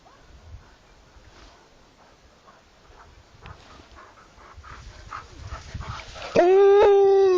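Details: Alaskan Malamute dog giving a loud, steady, harmonic-rich howl that starts abruptly near the end and holds a level pitch, after several seconds of quiet rustling and faint background noise.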